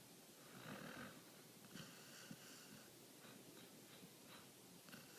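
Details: Sleeping dog Hendo snoring, twitching in deep sleep; soft airy snores, one long rasp near the start followed by weaker, broken breaths and faint snuffles in a quiet room.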